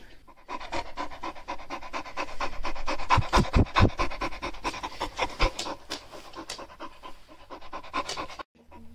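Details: A Shar Pei dog growls and sneezes while rummaging through pockets: a dense, rough run of rapid breathy pulses, low and raspy, with several louder snorting bursts near the middle and a brief quiet end.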